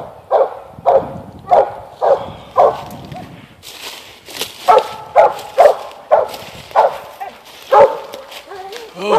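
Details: Young Mountain Cur, eight months old, barking treed up at a limb: repeated rough barks roughly every half second, with a man talking and praising over the middle of the run.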